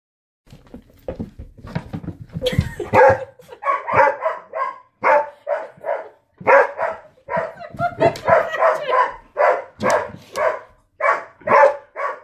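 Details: Storm, a Border Collie, barks at a new ball he refuses to touch: a long run of sharp, mid-pitched barks, mostly in quick pairs and triplets with brief gaps, steady and insistent for about eleven seconds.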